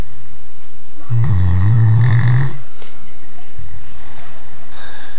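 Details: Snoring from a three-year-old Great Dane: one long, heavy, rumbling snore lasting about a second and a half, followed a moment later by a softer, shorter low rasp.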